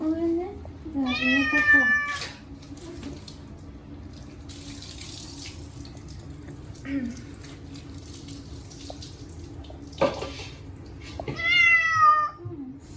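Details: Short-legged Munchkin cat Chacha protests while being rinsed at his yearly bath with catnip-scented shampoo. Loud, wavering meows open and close the passage, with running water, splashing and a soothing human voice between them.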